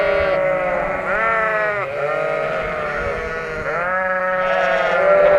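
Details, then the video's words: Noisy Shropshire sheep after lambing, relocated to a field in Shropshire; a dense chorus of drawn-out, quavering bleats overlapping continuously, rising and falling in pitch, with deeper calls underneath. "Shropshire sheep are noisy after lambing"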